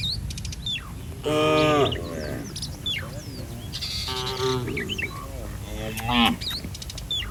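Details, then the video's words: Several moos from a roaming herd of village cattle come in succession, each about half a second to a second long. Busy chirping and trilling of small birds surrounds the calls, with steady low background noise. "Suara sapi lucu Moo"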